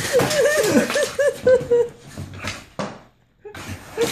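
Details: Dino, a Staffordshire Bull Terrier, playing excitedly inside, lets out a quick series of wavering whiny yelps in the first two seconds, then quieter scuffling, a sharp knock, a silent pause, and brief whimpers.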